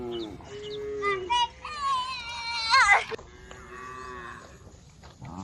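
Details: Village female cow giving a wavering moo that rises in pitch and climbs to a strained peak near the end, followed by a quieter steady low call.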